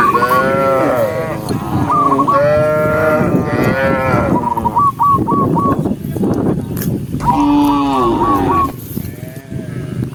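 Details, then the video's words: A huge daytime herd of tame cows walking across open rural land: loud, long moos overlap one after another, one low steady bellow near the end. Brief trills of short whistled notes and a dense background rumble accompany them. "cow sound cow Moo"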